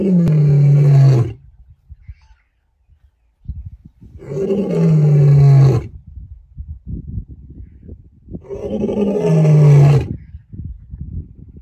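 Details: A lion roars to keep rivals away: three long, deep, falling roars, each lasting about a second and a half, spaced roughly four seconds apart, with softer grunting breaths between them.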